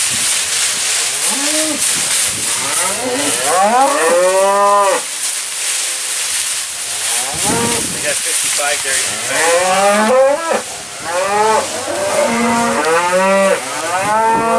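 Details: Seventy Black Angus cow-calf pairs, calves born March to April, at a Lanesboro, Minnesota sale barn; repeated arching moos and deep bawls from many animals overlap almost continuously over a hissing background.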